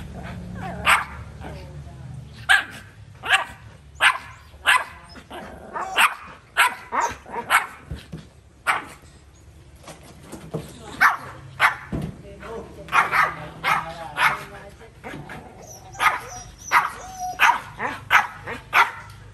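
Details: Dog barking persistently for about twenty seconds: dozens of short, punchy barks in irregular bursts, sometimes in quick runs, sometimes with short pauses, over a low background hum.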